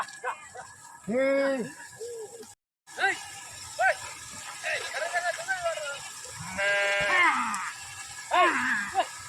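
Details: Sheep refusing to be driven down into a canal for bathing give a strong harmonic bleat, then later a harsher, noisier bleat and a short final one, amid people shouting and calling.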